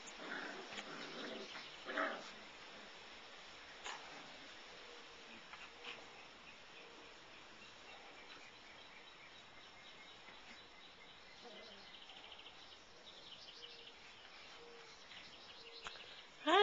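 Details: Litter of five-week-old Labradoodle puppies giving soft, thin whimpering whines that recur every second or two over steady background hiss, with scattered knocks and a loud thump at the end.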